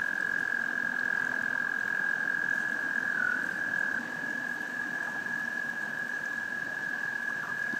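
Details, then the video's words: Frogs giving a mating call: a steady, unbroken mid-pitched trill that holds one level, with a slight dip partway through. It sits over a broad hiss of background noise. "Frogs Love Song"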